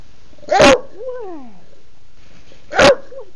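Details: Female bulldog barking to demand her dinner at home on a Sunday: two loud, short barks about two seconds apart, with a softer whining call sliding downward between them.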